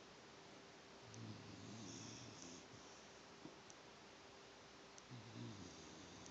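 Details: Penne, a female pet dog, snores while asleep: two low rumbling breaths, a longer one near the start and a short one at the end, in a quiet indoor room with a faint steady hum.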